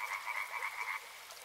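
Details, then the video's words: Frogs by a river, a quick burst of rhythmic rattling croaks lasting about a second, then fading into soft background hiss. "Frog Sounds"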